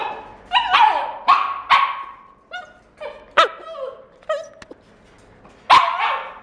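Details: Male red Shiba puppy born 27 September 2016, kept at a pet shop, giving a string of high, sharp yips and short barks, some with a falling whine-like tail, spaced irregularly about every half second to a second.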